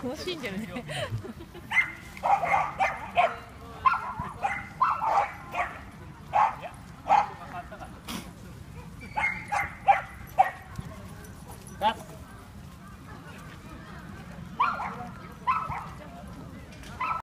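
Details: Seven-month-old male Norfolk Terrier at the Yoyogi Park dog run around evening; bursts of clipped barks and yips come in clusters, pausing between groups, with people talking nearby.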